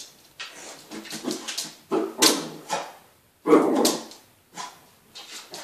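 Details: Wire-haired dachshund worked up by dogs on Crufts on television, letting out short yappy barks and whimpers indoors in a small room, with brief human voices.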